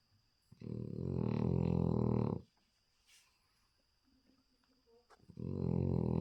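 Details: A little male French Bulldog asleep and snoring like a big dog: two long, low, vibrating rasps separated by a few seconds of near silence with faint soft sounds.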